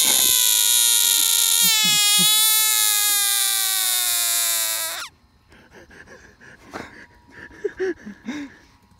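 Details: Bullfrog caught in East Texas, screaming in distress: a loud, sustained, eerie wail with a harsh tone lasting about five seconds, then quiet handling noises and faint clicks.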